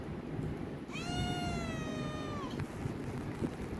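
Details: Himalayan cat demanding food produces a long, loud meow of about a second and a half, bright and harmonic, rising briefly then holding steady before dropping off, followed by quiet room noise.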